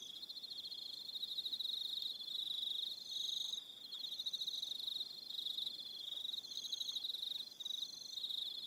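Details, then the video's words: Crickets calling in the evening on Aroha Island, New Zealand, a continuous shrill pulsed trill with fainter higher trills coming and going above it, several callers overlapping. "1 Hour Relaxing Evening Sound of Crickets"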